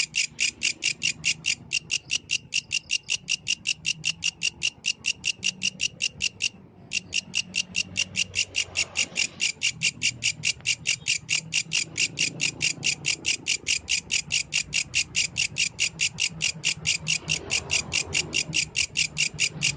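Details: Yellow grasshopper singing through the night: a long, unbroken run of sharp, rasping chirps, close to five per second, with one brief pause early on and faint low background noise.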